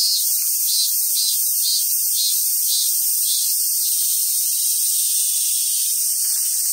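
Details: Summer cicada chorus at a wild Japanese macaque park on Awaji Island, Hyogo, Japan: a loud, continuous shrill buzz with a gentle pulsing throb about twice per second through the first half, then evening into an even hiss.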